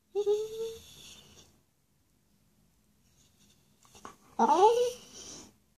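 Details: Dog named Charlie chatting with his owner at home: a brief level whine opens, then silence, then a quick scooping, rising-and-falling vocal burst near the end.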